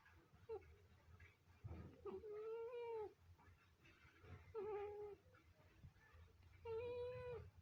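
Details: Sleeping Scottish Fold cat snoring: steady whistling tones with a slight rise, each lasting up to a second, recurring about every two seconds between softer breathy sounds in a quiet room.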